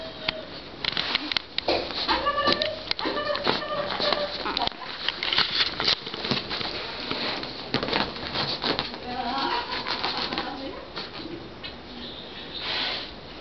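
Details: A female Jack Russell Terrier puppy, recorded 13 July 2009, gives thin, high whines and short yelps in uneven bursts.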